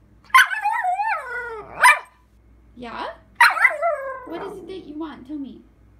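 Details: Puppy talking back to its owner in a conversation, making drawn-out, whining yowls that slide downward, in bursts separated by short pauses, with sharp yips at the start of each phrase.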